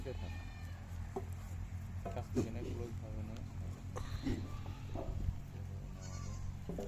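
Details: Farmed goats bleating: a wavering, harmonic bleat stands out near the middle among shorter calls. People talk throughout while feed is being mixed.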